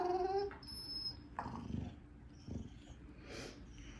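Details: Happy Irish Terrier at play, mouthing a companion's head: a brief tonal whine opens, followed by low grumbling, growl-like bursts and soft rustles, with thin high squeaky tones drifting above.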